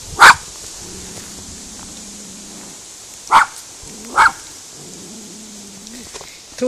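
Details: Spizy, a female miniature schnauzer confronting cows for the first time and failing to frighten them away, lets out four sharp barks spread over several seconds, while cows moo long and low in between.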